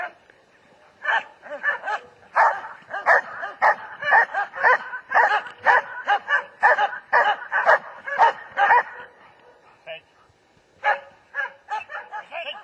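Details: German Shepherd barking in steady bursts, roughly two barks a second with short gaps, pausing near ten seconds before the barking resumes; a quiet background.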